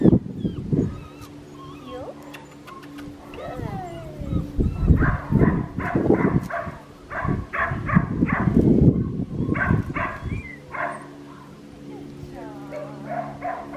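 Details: Six-week-old red tri male Australian Shepherd puppy weighing nine pounds, bred in Oklahoma, gives a run of quick high yips and small barks, denser in the middle stretch, with steady background music and some rustling.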